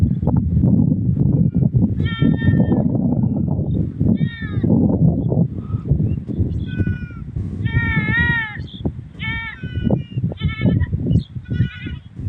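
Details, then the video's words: Goat with its kid, calling repeatedly: a series of short, high-pitched, quavering bleats, some rising and some falling, in bursts through the second half, over constant heavy low rumbling noise. "Sound of Goat with Kid"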